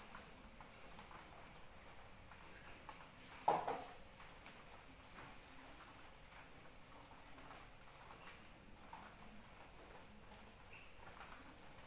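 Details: Crickets chirping through rainfall, an unbroken shrill pulsing band held level throughout, pausing for a moment before resuming; light rain hiss and a few louder droplet taps mixed in.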